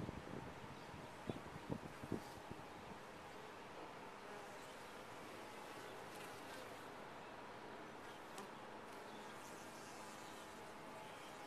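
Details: Honey bees humming in a top-bar hive: a thick, constant drone, with a cluster of light clicks or taps in the first two seconds and the hum steady afterward.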